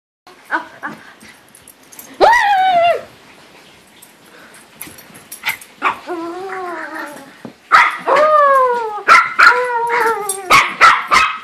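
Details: Dog biting its owner's hand during play, giving high harmonic whines and squeals that slide down in pitch, with a burst of rapid, excited yips and whimpers toward the end.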